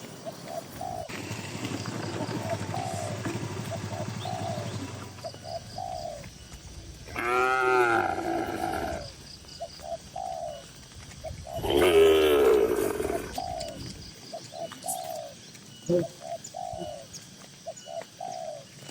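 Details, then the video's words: Dozens of tame cows fill a farm barn. Two rich, wavering moos rise out of a steady background of repeated soft dove coos. A low rumbling hum runs through the first seconds. "Moo Moo Suara Sapi Lucu"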